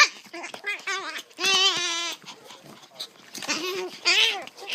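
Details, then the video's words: A female pet dog making weird, devilish-sounding noises: short wavering whiny yowls, then a long sustained moaning cry, followed by more rising-and-falling harmonic whines, with quiet room noise between calls. "Weird dog noises"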